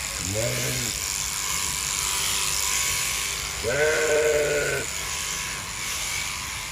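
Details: During winter shearing with big clippers, a sheep lets out a short bleat and then a longer, wavering bleat about three seconds later, over the continuous whir of the clippers.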